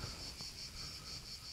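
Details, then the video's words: Cicadas in quiet countryside on the north coast of Corfu, near the village of Perades, fill the air with a high, steady buzz that pulses gently every few tenths of a second. "A tutaj tak cicho, spokojnie, fajnie, tylko cykady hałasują. Tylko cykady słychać."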